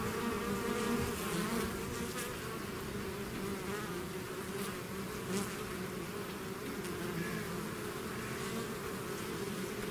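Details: Buzzing of a bees swarm leaving its hive: a continuous, thick drone, low and even, with faint fluctuations as individual bees pass closer.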